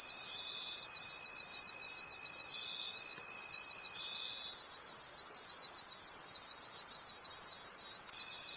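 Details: Forest crickets at night: continuous high-pitched ringing chirps in rhythmic pulses, with a sustained thin tonal trill through the first half that fades out and returns near the end.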